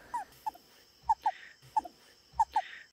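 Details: A very rare giant smooth-sided toad in the Amazon rainforest gives soft, brief squeaky chirps in pairs, a quiet distress call; even its breeding call is very quiet.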